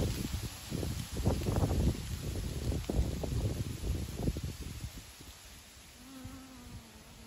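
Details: Honey bees bringing honey into the hive: about five seconds of crackling, rustling low bursts, then a steady humming buzz with layered overtones that wavers slightly toward the end.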